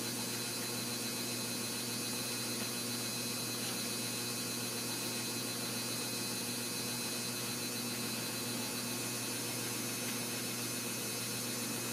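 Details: A steady, unbroken broadband hum like a fan or running appliance fills all twelve seconds, with fixed tonal bands and no animal voice anywhere.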